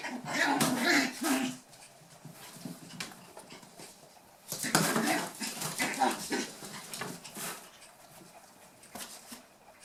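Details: Playing eight-week-old toy poodle puppies, the final litter of Tami, give two loud clusters of rough, harmonic growls and whines separated by a quieter stretch of soft scuffling, with some human speech in the background.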